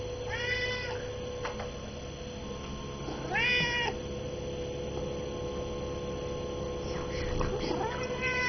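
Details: A hungry cat meowing at noon around a chicken meal; three drawn-out, wavering meows come at roughly three-second intervals over a steady electrical hum, with faint speech in the background.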